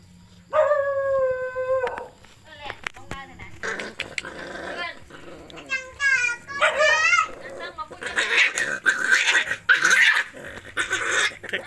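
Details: Puppies being fed: a long, steady, high whine held for over a second, then short broken whimpers and quavering, wavering cries, ending in a dense burst of overlapping yelps and noise, with background voices.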